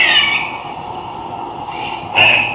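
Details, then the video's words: Eastern gray squirrel alarm call, played back to campus squirrels in a student experiment: harsh, nasal alarm calls, one at the start and another near the end. "that's the gray squirrel call"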